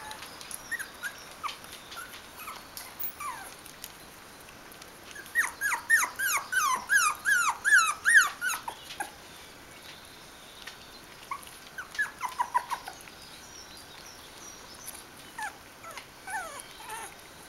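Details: Bichon Frisé puppies from the I litter at a kennel, 4 weeks and 5 days old, whimpering indoors: high, thin, downward-slurring squeals come in a quick burst of about a dozen, then a shorter cluster follows after a pause.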